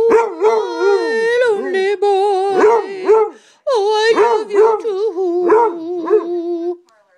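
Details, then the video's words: A pet male Basset Hound howling while singing along: wavering, bending howls rise and fall in several drawn-out waves over a steady sustained tone, with a brief pause midway before the howling resumes. "Snoopy the singing Bassett"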